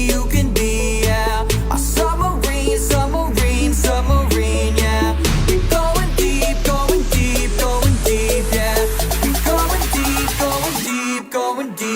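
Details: Upbeat electronic dance music with a steady beat and deep bass fills the recording, and no animal is heard.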